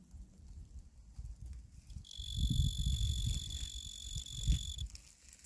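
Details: Male tree cricket (genus Oecanthus) breaks into a high, even trill after two seconds of low rumble, sings for under three seconds, then stops abruptly, with low-frequency noise throughout.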